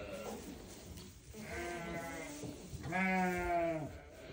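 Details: Newborn lambs bleating: two drawn-out, wavering harmonic bleats, the second louder and about a second long, with faint murmuring beforehand.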